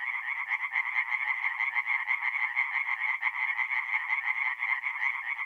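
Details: Singing tree frogs at a north-east Italian forest pond on an April night. Several frogs call at once, their quick, harsh pulses blending into a busy, jittery chorus throughout.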